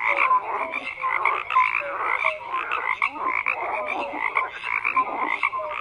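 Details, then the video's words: Many frogs croak together in a steady wall of sound, with rattling trills and brief rising chirps repeating irregularly and loudness wavering throughout. "FROGS CROAKING"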